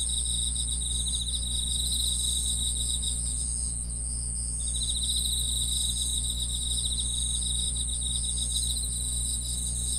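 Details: Grass insects trilling in a continuous chorus, high rapid pulses with one voice falling silent for about a second midway, above a steady low humming drone.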